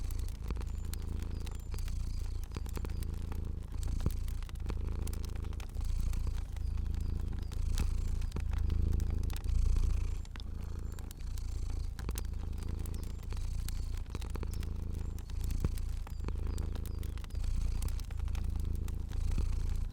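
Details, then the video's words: Soft, unbroken purr of a fluffy cat sleeping in a cozy room, a low buzzing rumble beating roughly four times a second for twenty seconds, gently waxing and waning, with steady crackling of a fire throughout. "Cozy Purring Cat & Crackling Fire Sounds"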